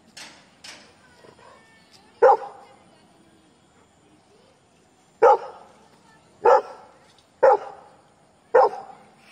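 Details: Labrador barking at strangers, giving loud, abrupt single barks at irregular gaps of one to three seconds, with fainter sounds at the start and a quiet pause between the first bark and the later run of four.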